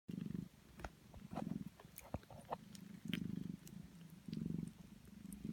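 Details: Purring of Sphynx mother cat Prune nursing 16-day-old kittens: low rumbling bursts in rhythmic pulses roughly every one to one and a half seconds, with faint wet suckling clicks between them.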